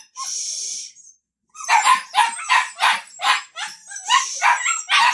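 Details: Samoyed puppies waiting for their dinner, giving a quick, uneven run of high, sharp yips and short barks, about eight in three seconds, after a brief hiss at the start.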